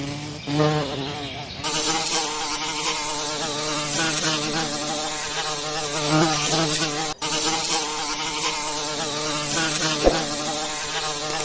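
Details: Forest bees making honey fill the air with a nearly unbroken buzzing drone, several insects overlapping in a dense wavering hum against a bright, hissy background.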